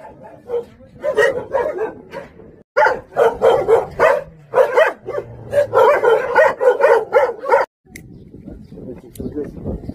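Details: Jindo dogs, the Song Baekgu brothers, hunting dogs at a Jindo kennel in Korea, barking in rapid repeated bursts amid a crowd of visitors, with a man speaking gently and short pauses between barking runs.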